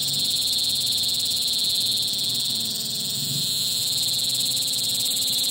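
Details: A cicada calls late in the afternoon, one continuous high, hissing buzz that stays level and unbroken throughout, with a faint low rumble beneath it.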